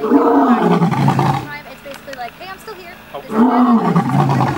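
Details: A captive lion at a big cat rescue in Tampa, Florida, gives two deep, moaning roars from about three feet away, with a quieter pause and faint voices between them.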